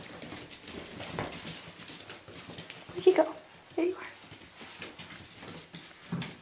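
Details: Three male Irish Jack Russell Terrier puppies, Mushroom, Portobello and Patty, playing together at Violet Meadow Farm; two short rising yelps in the middle, then a low grunt near the end, over soft scuffling and pattering.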